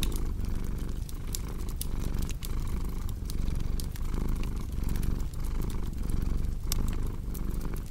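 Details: Domestic cat purring steadily in a low, rumbling drone that swells and fades with each breath, layered with the sharp snaps and pops of a crackling fireplace.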